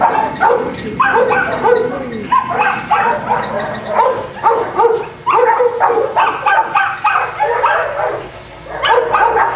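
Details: Several Boston Terriers barking at a kennel in Jamundí, Cali, Colombia; short, sharp, high-pitched yaps pile up in quick overlapping volleys, with a few short lulls between bursts.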